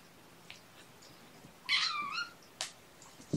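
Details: Mother cat Gamora, with five kittens born April 14th, calls the babysitter indoors on a morning in June 2018: one clear, harmonic meow lasting about half a second, bending slightly downward, with faint soft clicks and taps before and after.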